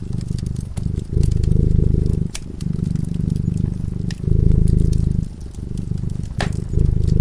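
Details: Low rumbling purr from a cat asleep beside a fireplace, pulsing in alternating louder and softer breath cycles, with scattered crackling pops of burning wood.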